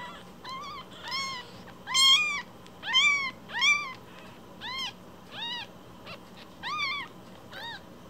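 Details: Week-old foster kittens Cookie and Nan, rescue cats still bearing umbilical cords, meow rapidly, around ten shrill arched cries in eight seconds, swelling louder in the middle and then softening, with a faint room hum.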